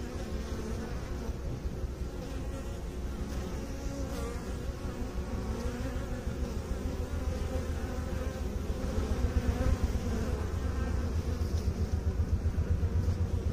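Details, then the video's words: Massed honey bee buzzing forms a deep, continuous drone that swells slightly toward the end, where quick pulsing flutters ride on the hum. "Bee song"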